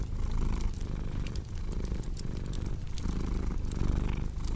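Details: Cat purring steadily in a deep, low rumble that swells and fades with each breath, about every second and a half. Sharp crackles and pops from a cozy fireplace are layered over it.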